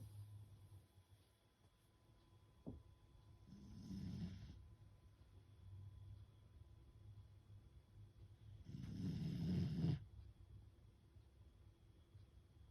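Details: Fukuko, a pet beagle, sleeps deeply after a day of lots of play, eyes half open showing the whites, snoring: two soft, breathy, low rumbling snores some five seconds apart in a quiet indoor setting, with a faint click between them.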